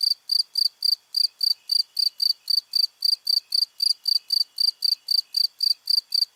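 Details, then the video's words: Repeated high, ringing cricket chirps, each short and sharp, falling at an even pace of nearly four per second with nothing else audible. "Crickets - Sound Effect"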